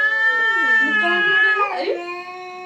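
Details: Two cats in a fight, one giving a loud continuous yowl that bends down and back up in pitch, wavering near the end, with people talking nearby.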